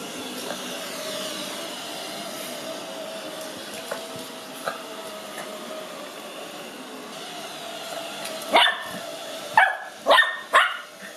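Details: Cookie, a five-month-old Lhasa Apso puppy, meets a robot vacuum (Ecovacs Deebot) for the first time, excited, afraid and curious. A steady motor whir fills the room, then four sharp, high barks burst out near the end.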